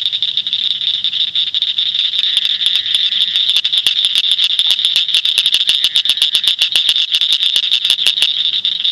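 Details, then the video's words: Northern cricket frog in Shelby County, Illinois, giving sharp, high clicks like pebbles tapped together, which quicken into a rapid series. "Northern Cricket Frog"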